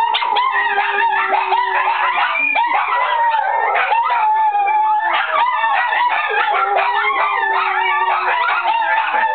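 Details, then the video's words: Four small pet dogs howl together as a pack: a shih tzu/poodle mix, a Pomeranian, a Chihuahua and a Lhasa apso/pug mix. Overlapping wavering howls and yips sound continuously, several voices layered at different pitches. "Small pack howling"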